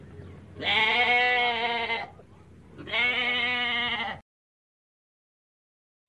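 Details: Young goat giving two long, quavering, nasal bleats about a second apart, each lasting over a second, followed by silence.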